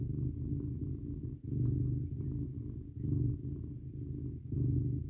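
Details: Cat purring as it snuggles in bed beside a person, cold 19 degrees F night outside; low buzzing purr pulsing in regular breath-timed swells, louder on each inhale-exhale cycle.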